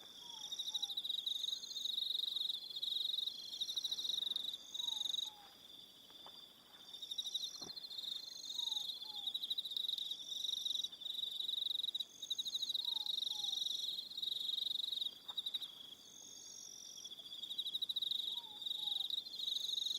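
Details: Evening cricket chorus from Aroha Island, New Zealand: steady high beaded trills with a higher intermittent buzz, while faint low paired down-slurred whistles recur roughly every four seconds in the background.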